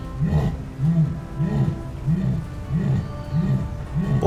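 A jaguar gives a series of deep, hoarse grunts, about one every two-thirds of a second.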